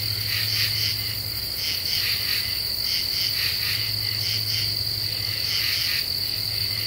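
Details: Common true katydids calling after dark in an Ozarks deciduous forest, Eastern U.S., July 2013 under a half moon; rhythmic rasping pulses grouped in short clusters sit above an unbroken high insect buzz and a faint low hum.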